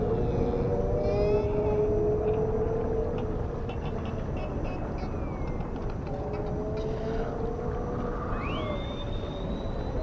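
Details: Dolphin calling in the ocean: steady low droning tones at first, a patter of rapid clicks, then a loud whistle sweeping sharply upward near the end, all over heavy low rumbling noise.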